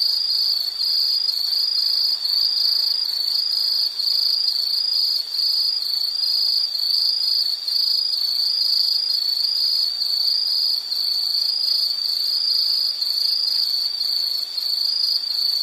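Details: Long, unbroken insect trill, thin and high-pitched, with a fast shimmering pulse. Brief small drops in loudness recur about every second and a half against a quiet background.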